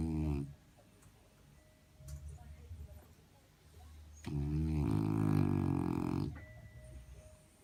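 A French Bulldog snores in low, raspy, rumbling bursts separated by quiet pauses.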